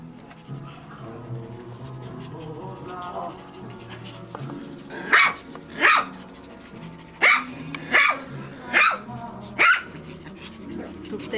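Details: Maltese and Yorkshire Terrier puppies at a breeding kennel in Reda, Poland, playing and nipping; six shrill, yappy barks spaced roughly a second apart over a low murmur of music and a woman talking to the dogs.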